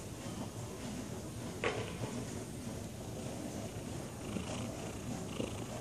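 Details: Lazy domestic tabby cat purring softly, a quiet, continuous low rumble throughout, with one brief knock partway through and faint background noise.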